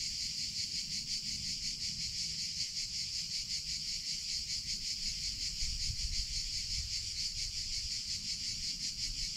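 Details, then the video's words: Summer cicada chorus, a loud shrill hissing drone that pulses quickly and evenly, never pausing, with a soft low-frequency murmur underneath. "CICADA SOUNDS - Sound Effect of Cicadas in Summer Sounds of Cicada (Chicharra, Campanero)"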